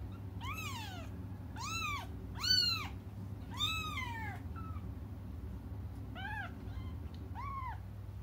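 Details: Cats crying while they wait for their mother. Four loud arched meows come in the first four seconds, then three softer, shorter ones follow, all over a steady low indoor hum.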